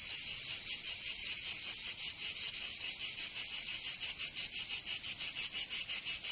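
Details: Cicadas singing in summer in Provence, southern France: a dense, hissing high-pitched buzz that throbs in steady pulses about three times per second, with no other sounds.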